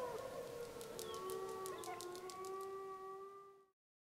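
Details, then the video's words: Gray wolf pup of the Snake River pack howling in the Summit Ridge area, Wallowa County, on 25 July 2012, filmed by a wolf biologist surveying pups; a long sustained howl, steady then gently wavering, with a lower harmonic-rich tone underneath, ending abruptly. "Snake River Wolf Pack Howling"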